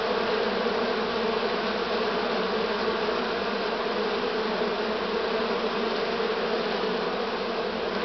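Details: Many honey bees from a current-year swarm humming together on 6 September 2019; a steady, layered buzz with a low fundamental drone and no pauses.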